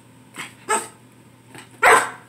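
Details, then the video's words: Rottweiler puppy barking on cue while learning the 'speak' trick: four short, sharp barks within about two seconds, the last loudest, with quiet room background. "Rottweiler puppy learning to speak"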